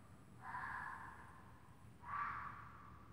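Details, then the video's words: A red fox outside gives two harsh, hoarse screams about a second and a half apart, a mating call that went on for an hour. "Red Fox outside screaming mating for a dang hour!"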